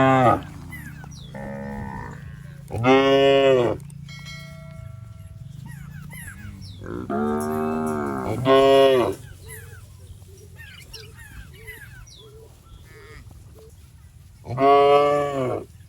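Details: Tame, healthy cattle wander through a rice paddy, eating grass. Three loud, rich moos arrive several seconds apart, each about a second long and rising then falling, over a low steady background hum with faint chirps between.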